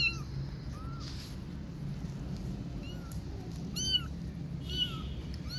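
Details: Three kittens left without their mother cat call with thin, high-pitched mews, each a short arched note that bends downward, scattered irregularly over a steady low indoor hum.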